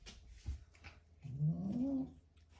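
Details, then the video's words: Domestic cat making a low, rising-then-falling growling moan while eating a grasshopper indoors, one drawn-out vocalisation near the end after soft chewing and clicking noises. "Cat eats grasshopper and makes funny noises"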